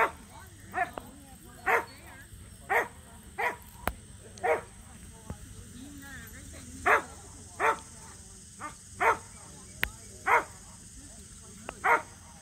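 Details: Local match show entry for the Samoyeds Mozart and Zuko, their first ever. Sixteen or so brief barks over twelve seconds, loud and softer ones mixed, with scattered clicks and a low hum.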